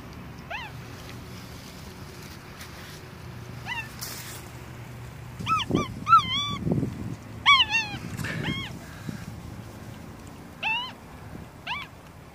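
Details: Pet capuchin monkey Masyanya at her birthday on 7 October 2016, wearing a dress, with a cake and a number-three candle, in warm summery weather; short squeaky arched chirps come singly and in quick clusters of three or four, over low background rumble and occasional faint human voices.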